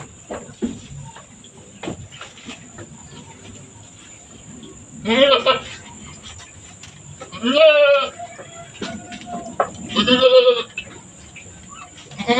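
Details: A mother goat giving birth on a small farm bleats three times, each call a quavering, vibrato-laden cry spaced roughly two to three seconds apart, over a low, quiet background.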